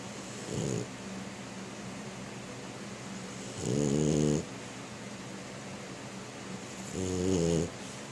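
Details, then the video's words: Female French Bulldog snoring while asleep on her back with paws in the air, tucked into bed: three loud, rattling, low snores at intervals of about three seconds, each rising to a buzzy peak, over quiet room hiss. "Frenchie Snoring in Her Sleep"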